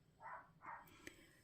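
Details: Small female Jack Russell Terrier barks in the background: two short, muffled barks from a distance, followed by a light clink.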